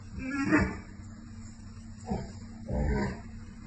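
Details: Pair of American Akita dogs conversing with deep, throaty roar-like grumbles; a rising moan early, a brief grunt near two seconds, then a longer growling howl, all over faint background hum.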